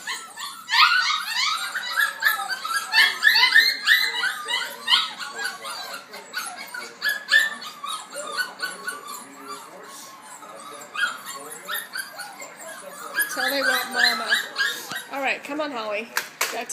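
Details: Six-week-old F1b Goldendoodle puppies screaming for their mother; continuous high yelping squeals and whimpers from several pups, with a woman calling to a dog and handling noises.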